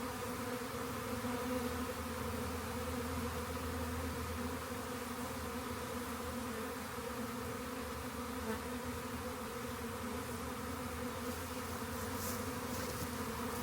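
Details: Long stretch of honey bee swarm buzzing during collection into a box: an even, layered drone that holds steady throughout, with brief faint clicks near the end.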